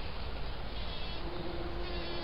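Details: A bumblebee on a Scottish croft, likely Western Isles, Caithness, Sutherland or Orkney, buzz-pollinates, its droning hum rising in the second half as wing-muscle vibrations shake pollen loose; low rumbling wind-like noise runs throughout.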